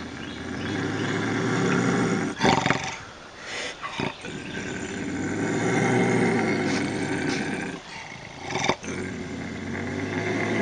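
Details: A bobcat's long rasping growl-howl, used to repel raccoons and rodents, runs almost continuously with a gritty harmonic texture, broken by short sharp breaks and catches between sustained rumbling stretches.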